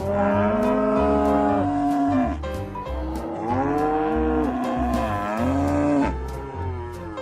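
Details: Cattle mooing: three long, drawn-out moos of about two seconds each, a low voiced tone with rich harmonics that bends and falls at the end of each call, over a steady low musical bed.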